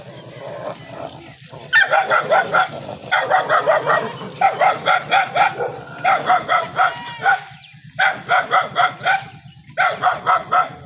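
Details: Village dog gathering in the Saraiki area: quick runs of sharp barks, four to six per run, continuing for about ten seconds over a pulsing low rumble.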